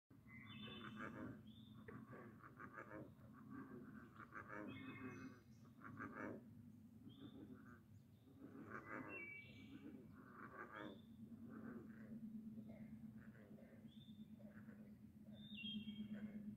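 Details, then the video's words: Frogs call together in a steady chorus of low trills and pulsed croaks, with birds chirping above, at Sevenoaks, Madison, Virginia. "Frog Songs at Sevenoaks, Madison, Virginia"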